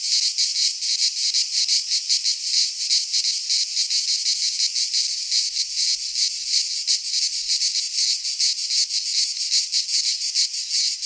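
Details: Greek cicadas sing in a pine forest during midsummer; their shrill, grating buzz pulses rapidly and unceasingly, forming a dense wall of sound with no birds or voices.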